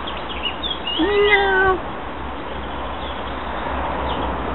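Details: Domestic cat giving one clear, drawn-out meow lasting under a second, held level and then dropping at the end, preceded by a few faint higher mews, over a steady low hum and background noise.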